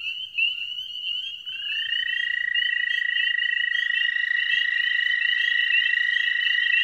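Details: Male dwarf American toads advertising in spring at a small breeding pond; a higher trill opens, then a slightly lower steady trill starts and runs on, both sustained and overlapping, with a few faint low knocks early on.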